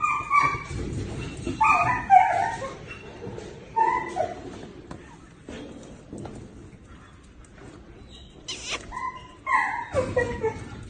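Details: Duff, a happy, playful two-year-old male mixed-breed rescue dog from Columbus County, North Carolina, giving high whining yips and whimpers in uneven bursts, some rising, over steady low background noise.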